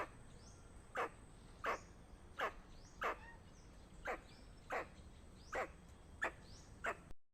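A squirrel repeats short, harsh chucks like small barks, spaced fairly evenly but not exactly, each a brief explosive note. These alarm calls warn of danger, over a soft background hiss.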